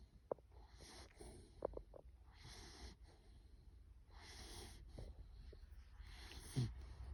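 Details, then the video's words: Five-month-old Bulloxer puppy asleep and snoring: soft, breathy snorts and wheezy breaths in uneven bursts over a low rumbling background, with a few sharp clicks. "5 month old bulloxer puppy snoring"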